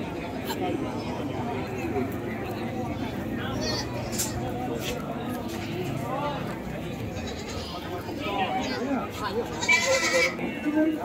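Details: Goats at an animal market, with a few wavering, nasal bleats rising above a steady din of crowd chatter and voices; the loudest bleating comes near the end.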